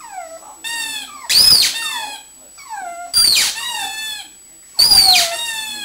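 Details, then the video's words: Three loud, hoarse howls from Bessy the pug, who wants her toy, each a noisy burst melting into a falling whine, spaced roughly every one and a half seconds, with softer whimpers between. "pug howling"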